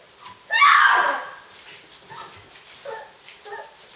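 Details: Lion cubs from a litter three and a half weeks old: a loud, harsh squealing cry of about half a second, then several short, soft whimpering mews spaced through the rest.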